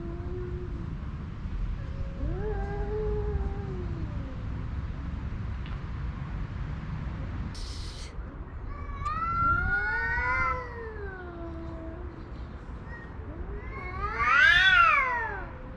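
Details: Homeless male cats squaring off over a female house cat, yelling rather than fighting; scattered warbling yowls, quieter at first, then a louder rising-falling howl near the end, with low traffic-like rumble throughout.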